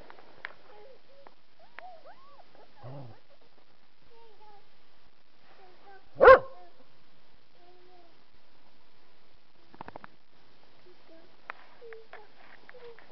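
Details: Puppies playing outside make scattered soft whines and yips, with one sharp bark standing out near the middle; quiet otherwise.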